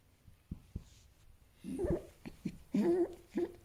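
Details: Fennec fox heard first as soft ticks and thumps, then a burst of low, throaty chattering and grumbling with nasal, buzzy yelps in quick uneven bursts.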